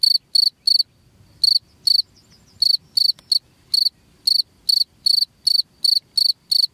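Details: Rat-repelling cricket call: clusters of shrill high chirps in groups of two or three, separated by gaps of up to a second, with soft faint ticking between bursts.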